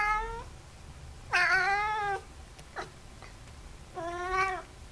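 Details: Indoors, an F6 Savannah cat pet meows three times: a short call, then a long, loud, rich harmonic meow that dips and rises, and a final slightly rising one, with small clicks between.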